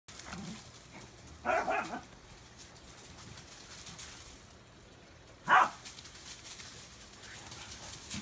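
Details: Swedish Vallhund playing with a Belgian Tervuren, the two dogs herding each other in circles; two short, sharp barks about four seconds apart over a steady background hiss.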